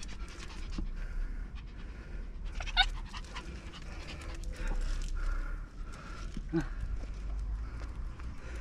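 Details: Shih Tzu named Ttalgi, excited during a walk with other dogs on Bibongsan summit in Anyang, Gyeonggi-do, South Korea; quick breathy panting runs through the clip over low wind rumble, with a brief sharp squeak near the end and faint voices.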